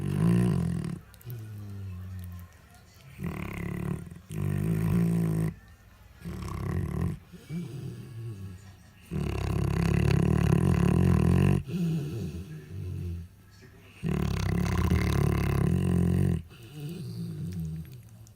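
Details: Nursing female Alabai, a Central Asian Shepherd Dog, asleep after eating while feeding six-day-old puppies, snoring loudly indoors: deep rattling low snores in bursts of about two seconds, separated by quieter breaths, growing in volume.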